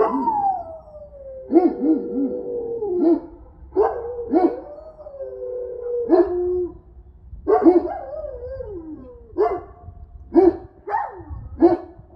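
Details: Central Asian Shepherds in the snow in Illinois, howling. A long descending howl opens, followed by repeated wavering, yodel-like howls and short yelping notes across twelve seconds, with low wind-like rumble beneath.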